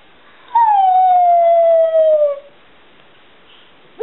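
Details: Seven-year-old Border Collie mix kept as a family pet, vocalizing in reply to being asked about his love for his mother: one smooth, steady howl lasting about two seconds, gently falling in pitch, then quiet.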